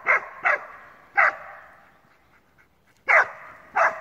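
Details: First boar encounter for a male Alpine Dachsbracke, who keeps barking about thirty minutes. Three quick echoing barks, a quiet pause of almost two seconds, then two more loud barks.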